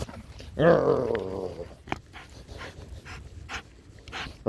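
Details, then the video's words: Pet dog named Daisy indoors in a small room, giving one drawn-out, wavering whine-like vocalisation with rich harmonics lasting about a second, followed by quiet rustling and a person's voice calling its name and talking about toys. "dog :)"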